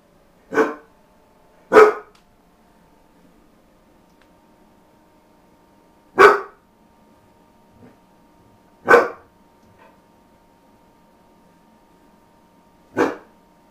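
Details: Ronin, a dog that rarely barks, lets out five single barks at uneven intervals, two close together, then longer pauses of several seconds, each a sharp broadband burst in a quiet room with a low electrical hum.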